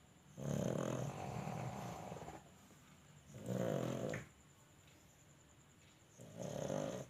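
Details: Snoring pug: three long, rasping snores, each about one and a half seconds, spaced roughly every three seconds, with a low rumbling buzz under quiet room hiss.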